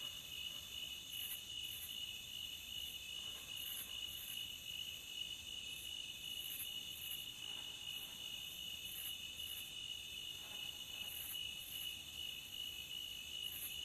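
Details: At the beach, a cricket keeps up an unbroken shrill trill, even in pitch throughout, with faint higher flickers recurring every second or two over a quiet hiss.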